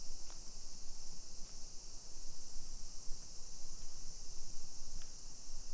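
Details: Cicadas on a summer afternoon, 28 July 2021, in suburban Nisshin near Nagoya, Aichi, Japan: a bright, steady buzzing drone dominates, broken only by a few sharp clicks or taps and a soft low rumble of the street.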